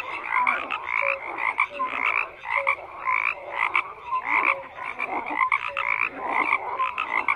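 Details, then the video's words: Frog chorus with rhythmic croaking, bursts of rasping calls pulsing roughly once a second, mixed with short tonal notes at low and middle pitches; busy overlapping voices without other noise. "FROGS CROAKING"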